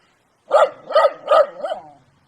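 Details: A dog gives three loud barks at an even pace, then a softer fourth bark that trails off into quiet.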